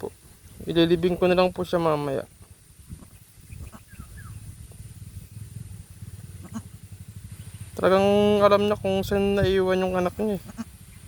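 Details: Pet kid goat, feared bitten by a cobra, gives two drawn-out, wavering bleats about six seconds apart, each loud and rich in overtones, with quiet voices and faint outdoor rumble in between.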